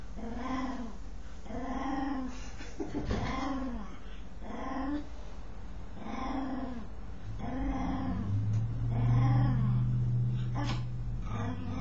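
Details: Dog making a strange noise while scratching itself: a series of drawn-out, arching harmonic moans, each under a second, repeating about every one and a half seconds, with a low steady hum in the background near the end.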